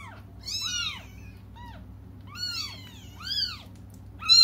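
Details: Waiting for their mother, cats cry with bright, rising-and-falling meows, a short weak one among them, the last call loudest and cut off, over faint low hum.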